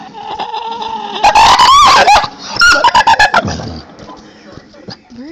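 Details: Pet dog excited by a squirrel outside, making loud high wavering dolphin-like squeals in two bursts of rising and falling tones, overlapping a woman's voice asking about the noise.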